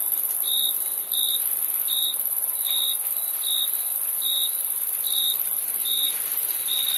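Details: Chirping crickets: evenly spaced short chirps about every three quarters of a second, very regular in rhythm, with an unbroken shrill insect hum high above.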